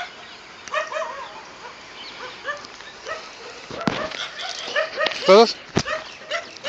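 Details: German Shepherd named Zozo giving a run of short, high whimpers and yips that curve up and down, repeated every half second or so, with a sharper, louder burst near the end and a human voice mixed in.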